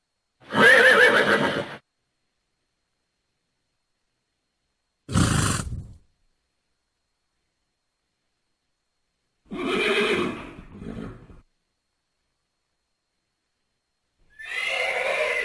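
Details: Thoroughbred horse whinnying: four separate harsh, harmonic neighs, each lasting one to two seconds, with long silent gaps between them and no other sounds.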